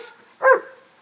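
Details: Remy, a pet dog chasing a lawn sprinkler for the first time, gives one short, sharp bark in a quiet moment.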